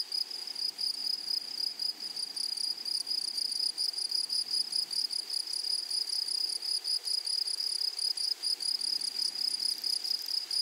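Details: Continuous shrill chirring of grasshoppers in a flowering meadow, a high steady tone broken into quick regular pulses, with a weaker higher band and a light natural background hiss.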